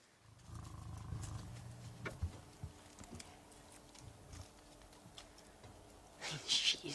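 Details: A lioness at sunrise in Sabi Sand gives deep, rumbling growls and ends with a harsh, explosive snarl at a male lion she is unimpressed by, who wants to play.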